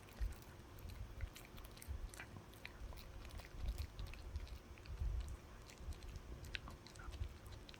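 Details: Dog working on a chew with dense, continuous crunching and biting, low thuds packed closely together and many crisp clicks of teeth throughout.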